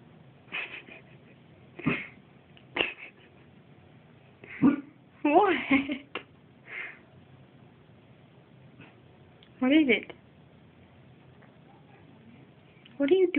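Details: A two-year-old Siberian Husky gives short, throaty barks and yowling woofs at its owner's reflection in the back door, apparently taking it for a bad guy, between bursts of a woman's talking.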